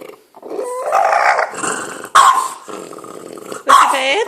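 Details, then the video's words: Marlo, a French Bulldog, producing strange grumbling noises at birds: a rising, nasal, whining grumble that breaks into sharp bursts, with a person's voice speaking nearby. "Marlo making wierd noises"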